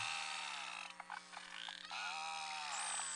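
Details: Beluga whales of the Eastern High Arctic–Baffin Bay population in a pristine, quiet summer nursery inlet give contact calls during isolation events: pulsed, buzzy bursts with short tonal sweeps and a high whistle near the end, recorded faintly.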